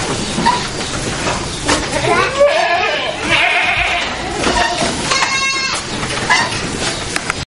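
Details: Etawah goats penned during pen cleaning call out with nasal, quavering bleats, one drawn-out cry in the middle and a short tremulous bleat near the end, over busy cleaning noise and a voice.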